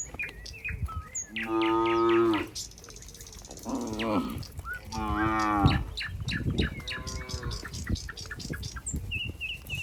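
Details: Cows walking neatly together in a group back to their pen, mooing: four drawn-out harmonic moos about a second long, spaced unevenly, with chirping birds and shuffling hooves in between.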